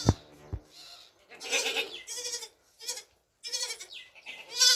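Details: Young black goats bleat in short, quavering bursts while drinking milk, with a couple of sharp knocks at the start.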